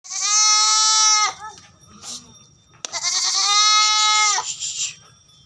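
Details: Barbari goat at a farm in Etawah, Uttar Pradesh, giving two loud, strongly harmonic bleats of about a second each, steady in pitch and then dropping at the end, with a brief quiet gap between them.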